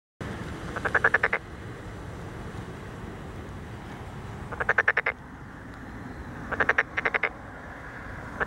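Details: Tokyo Daruma pond frog calling in a rice paddy in Wakaba Ward, Chiba City, Japan, on 30 May 2013: short bursts of rapid, evenly spaced pulsed croaks, about six to eight pulses each, separated by pauses of several seconds over steady background noise.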